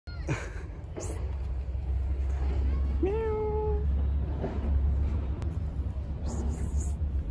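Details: Stray cat living on the street, walking around and leaving its scent to defend its territory; a single meow about a second long, rising then holding level, over a constant loud low rumble with scattered clicks and rustles.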